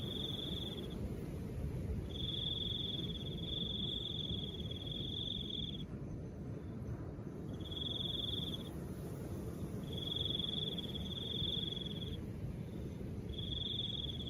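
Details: Cricket call with soft wind: high even trills of uneven length, some long and some about a second, broken by pauses, over a steady low airy wind background.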